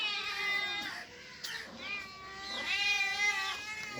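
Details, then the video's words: Cats and kittens meowing: two long, bright, strained meows, the first fading after about a second, the second rising then falling near the end, with a brief scuffle between them. "Funny Cats and Kittens Meowing sound effects | Cat Sound | kitten sound | Cat Voice"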